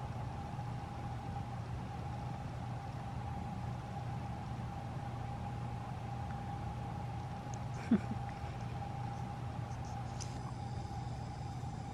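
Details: Steady engine-like hum with a thin constant tone above it, broken only by a single sharp click late on; no animal voice.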